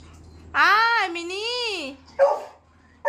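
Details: A golden retriever puppy wanting its cat toy gives one drawn-out whine lasting over a second. The whine wavers up and down in pitch and is followed by brief human speech.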